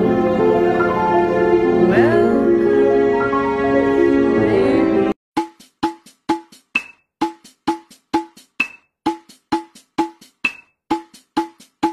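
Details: Sustained melodic music gives way to evenly spaced, tuned wood-block knocks repeating about twice a second, with no animal sounds.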